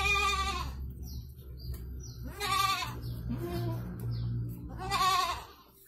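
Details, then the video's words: Goat giving birth to two kids in Indonesia, three loud quavering bleats roughly every two and a half seconds, with high thin descending chirps of small birds between them and a low hum. "PROSES KAMBING BERANAK 2 EKOR ANAK!"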